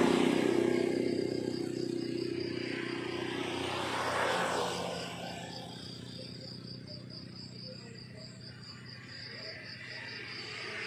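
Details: Crickets chirping on a countryside morning: a steady train of high, rapid pulses that runs through the clip, partly drowned early on by the swelling rumble of a passing vehicle.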